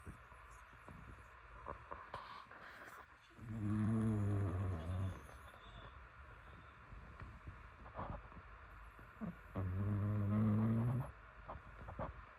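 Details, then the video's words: Pet dog Yeolmoo asleep and snoring: two long, low droning snores with a buzzy, harmonic rumble, about six seconds apart, each lasting over a second, separated by quiet breathing and faint room noise. "행복한 견생 코골이"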